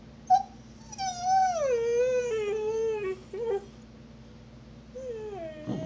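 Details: A female husky named Snow complains about her bone being stolen by Trixie, an Australian Cattle Dog. A soft yip leads into a descending, whining howl, then a short pause and a fainter falling note.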